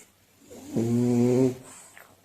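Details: A sleeping French Bulldog, its purebred status questioned, snores with one loud, rattling, deep-toned breath lasting under a second.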